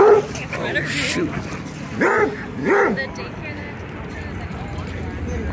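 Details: Playful dog-park barking from a mixed group of German Shepherd, Golden Retriever, Australian Shepherd and Rhodesian Ridgeback dogs at sunset; a quick series of short yelping barks, two louder ones spaced under a second apart, with faint human voices.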